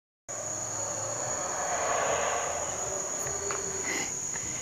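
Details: Howler monkeys at Palenque, Mexico, a distant, low, roaring howl that swells and fades over a few seconds beneath a steady, high insect drone.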